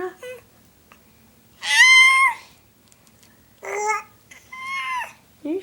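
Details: Talking seven-month-old cat making loud, clear, sustained meows indoors: a long steady cry, then two shorter bent calls and a brief chirp, in a quiet room.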